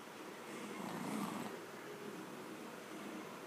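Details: Pekingese dog (Canis lupus familiaris), snoring.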